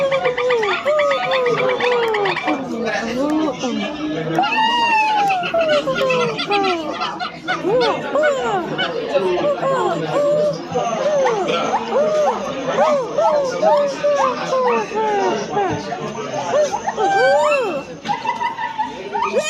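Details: Silvery gibbon in a long bout of rapid, bouncing whistled notes, each rising and falling in an arch, some higher swooping hoots among them, against a background of people chatting.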